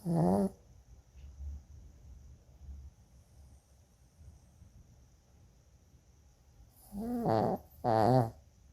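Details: Pet Shih Tzu snoring very loudly: a strong, nasal rasping snort, several seconds of soft low rumbling breaths, then two more loud harsh snores close together.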